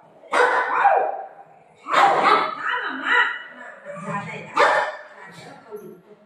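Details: Family golden retriever dog playing indoors with its mom, giving short, loud barks in three bursts about two seconds apart, mixed with a woman talking in Marathi.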